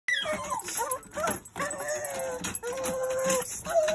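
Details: A Rat Terrier placed in his kennel to calm down because a person is downstairs gives high, wavering whines and short yelps. The tones slide up and down, with one long steady whine near the end, over constant broadband noise.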